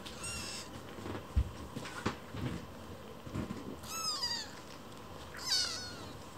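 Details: Kittens in foster care, young rescued cats competing for their keeper's attention and squabbling indoors; high kitten meows at about one, four and five and a half seconds, the last two rising then falling, over thumps and household rustling.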